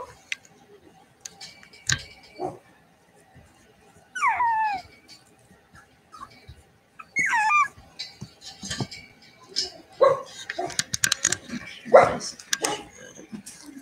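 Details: Cavalier King Charles Spaniel puppies playing indoors in a home-raised puppy pen: two clear sliding whines, each rising then falling, with short yips and scattered bumps, clicks and pen noises between them.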